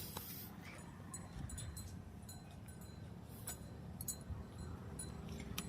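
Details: Quiet indoor ambience with a low steady hum, scattered metallic clinks and faint murmuring, and no animal voice.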